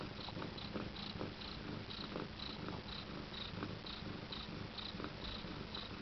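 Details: A Siberian queen nursing her first kittens at nine days old purrs evenly and rhythmically, a low pulsing drone with faint regular breathy beats and no other clear sounds.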